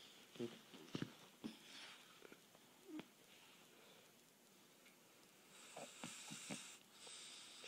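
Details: A Boston Terrier napping after a long day of playing and running snores softly, with irregular wheezy snorts and snuffles.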